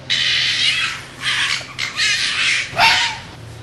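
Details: Fox screaming in mating season: rough, noisy, high-pitched screeches run together in long bursts, the last one ending in a short downward-sliding tone, over a low steady hum.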